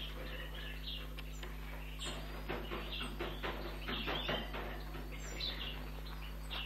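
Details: A few-weeks-old European red squirrel kit being fed at a rescue station makes dense, scratchy high squeaks, about one a second, clustered mid-clip, with a constant low hum underneath.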